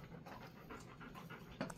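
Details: Golden Retriever resting in an air-conditioned cool room kept at 20 to 22 degrees: soft, quick, breathy panting in steady pulses about four per second, fairly quiet, with a brief human voice near the end.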